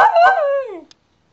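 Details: Single harmonic, howl-like yelp from a Cairn Terrier, under a second long, sliding steadily downward in pitch before cutting off into silence.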